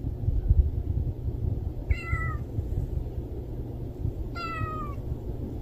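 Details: Stray cat giving two drawn-out, harmonic meows that slide downward, a few seconds apart, over a steady low rumble of outdoor background noise.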